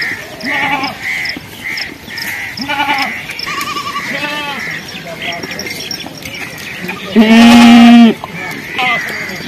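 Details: Young goats bleat in a series of wavering, nasal calls, apparently calling for their mother, ending with one long, loud bleat.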